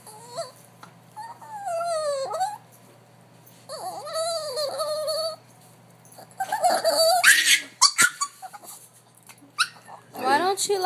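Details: Dog making funny, drawn-out warbling whines that rise and fall in pitch, several long tonal cries in the first half, followed by bursts of human laughter and a person talking soothingly to the dog.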